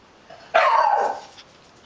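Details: Bruce, a pet puggle, gives a single loud bark indoors, a sharp onset falling into a drawn-out tonal tail lasting about half a second, with a quiet room behind it.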